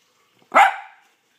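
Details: One sharp, loud bark from Sophie the pet dog, brief and bright, trailing off quickly into silence.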